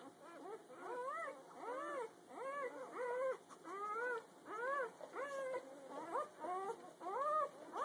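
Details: Puppies less than a day old, a whole litter the morning after being born, whimpering in steady arched squeals roughly every second, each note rising then dropping, overlapping voices from several pups.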